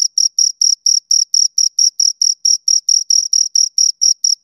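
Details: High, scratchy chirps from two nearby crickets, evenly spaced at about four per second, each pulse crisp and separated by short silences. The room is otherwise quiet.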